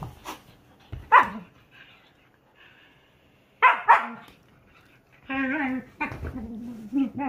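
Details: Whippet playing with a silken windhound companion, two dogs together: a few sharp barks early, then drawn-out harmonic whining growls in longer runs toward the end, quiet gaps between.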